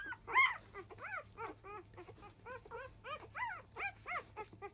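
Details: Newborn Labrador Retriever pups of the field type, five days old, clamouring at the start of a feed: a rapid, steady run of short arched squeaks, about three per second, each sliding up and down.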